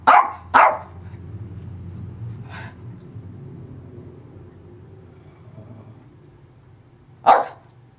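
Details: Pet dog Zoey fires two quick barks at the start, a softer one a couple of seconds later and another sharp bark near the end, over a steady low rumbling background noise.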